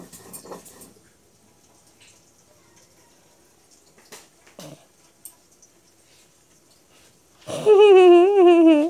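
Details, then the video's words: Pair of cat brothers tussling on a lap indoors; after mostly quiet rustling, a loud, drawn-out, wavering yowl with rich harmonics closes the moment. "Two cute cat brother fighting on my lap"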